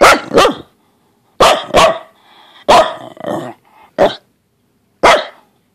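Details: Luna, an upset Pembroke Welsh Corgi, barks indoors in an irregular series of sharp, harsh barks, some doubled, with short grumbling noises between bursts and no other sounds.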